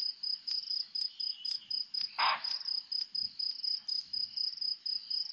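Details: Bushbuck alarm call at Nkorho around 4 to 4:30 a.m. on 3-11: a single harsh, rasping bark bursts out amid a steady, high-pitched pulsing chorus of crickets.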